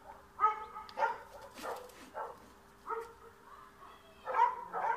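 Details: Dog in Bulgaria chasing a cat out of the yard, giving scattered, rough barks with a noisy scuffling burst in between, less regular and quieter than a steady barking run.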